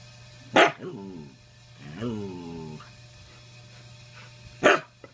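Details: Older pet dog objecting to other dogs on the bed with his grumpy "get off my lawn" bark: two sharp single barks several seconds apart, separated by a drawn-out, wavering grumbling whine with a low steady hum behind.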